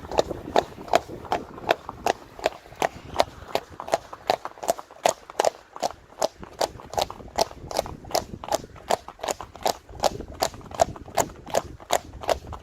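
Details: Friesian horses with foals travelling down a road, led by the mare Uniek or Elsje; a long run of regular hard hoof knocks on the road surface, steady throughout.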